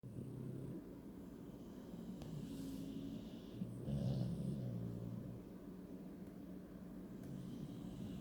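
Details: A bulldog sleeping while snuggled up, snoring loudly: a steady low rumbling drone, swelling into a louder, rougher snore near the middle before settling back into a continuous hum.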